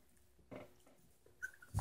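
A Yorkshire Terrier makes brief soft vocal sounds: a rough grunt, a thin high whine, then a louder snuffle.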